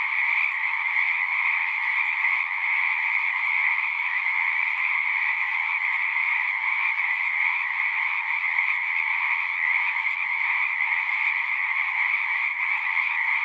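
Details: Many frogs singing together at a pasture pond, captured with a Zoom recorder; continuous high, shimmering trill from overlapping voices holds an even level throughout, with nothing else audible.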